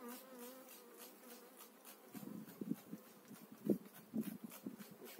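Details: Honey bees during a spring hive transfer of an eight-frame colony, 2018; a smooth humming drone opens, then gives way to dull thumps and bumps of hive handling over a fainter buzz.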